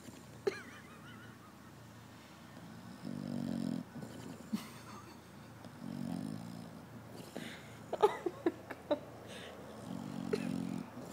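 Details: Bulldog asleep and snoring, cheeks flapping with each breath: low, rasping snore bursts of under a second repeat about every three seconds, with a few sharp clicks and rustles between them.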